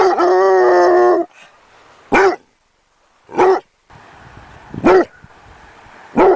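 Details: Young Basset Hound opening with a sustained, steady, tonal wail, followed by four brief, clipped barks at uneven intervals over a faint background hiss.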